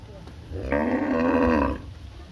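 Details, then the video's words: A village cow gives a single steady, nasal moo lasting about one second over faint background noise. "cute cow video Ep - 05"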